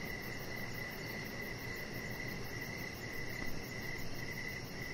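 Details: Outdoor evening crickets near a pet chihuahua lying on a deck: the high chirping runs almost as a continuous trill, accompanied by faint very high pulses and a steady low background hiss.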